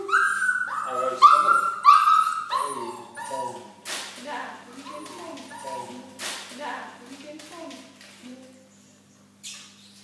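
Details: Eight-week-old Golden Retriever puppy crying while being microchipped: loud, high wavering whines for the first three seconds, then softer, lower whimpers with clicks and handling noises, fading away toward the end.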